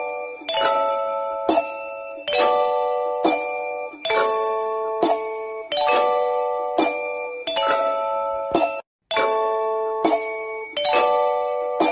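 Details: Bright chiming bell-like music plays in repeated phrases, with a brief gap near the ninth second and no animal voice.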